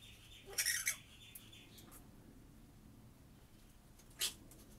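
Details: Harsh, buzzy squabbling burst from flying-foxes in a minicreche aviary housing three-month-old pup Sequoia, mothers and growing pups; a brief grating outburst near the start, then near-silence until one short sharp squeak close to the end.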